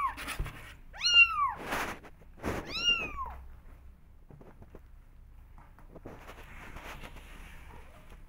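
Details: Young kittens calling to be let outdoors: two sharp rising-falling meows about two seconds apart, separated by thumps and scratching, then quieter shuffling noises.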